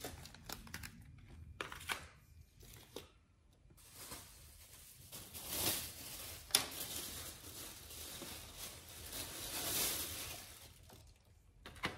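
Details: Quiet crinkling, tearing and wet chewing noises come from a dog eating raw food indoors, with no barks or vocal sounds.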